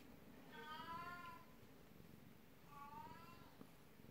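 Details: Black cat Beni-chan, twelve years old, meows while rubbing at someone's feet, jealous of the 19-year-old elder cat Kuku-chan; two clear harmonic meows about two seconds apart, the first longer and arching, against faint background hum.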